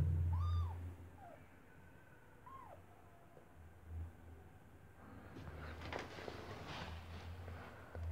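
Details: Tiny white kitten, newborn with unopened eyes, beside its white stray mother Kartopu, kept indoors in an apartment block against the cold; two short arching mews two seconds apart, then rustling and handling noise over a steady low hum.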